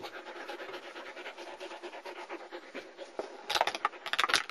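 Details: German Shepherd puppies from a Florida kennel litter born 6-26-2009, filmed 11-5-09, panting in rapid regular breaths through the clip, with scratching and sharp knocking sounds near the end and a person talking around them.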